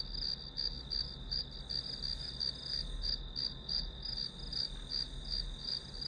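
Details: Grass insect chorus used as white noise for studying, rhythmic high-pitched chirps pulsing about three times per second above a constant low rumble.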